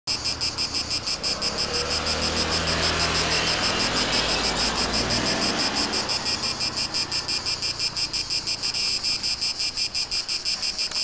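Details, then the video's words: Cicada singing in Corsica: a loud, high, sizzling buzz pulsed steadily about three times per second throughout, with a low engine-like rumble underneath during the first half. "cicada! eigale!"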